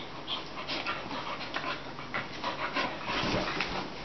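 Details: A male and a one-year-old female Bull Terrier play together, cuddling and gnawing, on meeting again after ten months apart. Rapid, steady panting with brief huffs and snuffles runs throughout.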